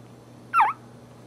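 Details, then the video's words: Single short squeak from a newborn Boxer puppy feeding at its mother, a quick high note sliding downward, set against near silence. "Newborn Boxer Puppies Crying And Breastfeeding From Their Mom"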